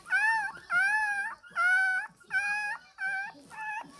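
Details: A 20-day-old Shih Tzu puppy wails for milk with loud, clear, strongly harmonic cries, each about half a second long with a flat middle and upturned ends, repeated with short gaps.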